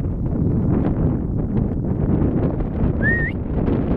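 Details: Single short, piercing whistle from a marmot in the Vanoise mountains near Pralognan, on the path to the Félix Faure refuge, rising at its end and heard through heavy low wind noise.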